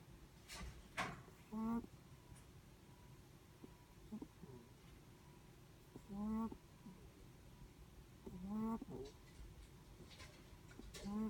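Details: Sleeping Netherland Dwarf rabbit breathing in its sleep: short squeaky, nasal snore-like bursts with stacked overtones, each rising and falling, recurring roughly every two seconds over a soft low room hum.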